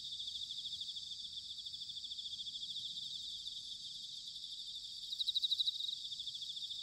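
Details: Bell crickets singing in autumn in Sanuki, Chiba, Japan: a dense, steady high-pitched chorus of ringing trills, with one nearer insect breaking in with a louder pulsed burst near the end. No other sounds.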